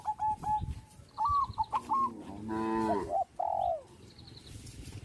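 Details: Cattle on a traditional village farm: one short, rich moo of about half a second lands midway, between bright whistled tonal notes near the start and end, with low rumbling and handling noise underneath.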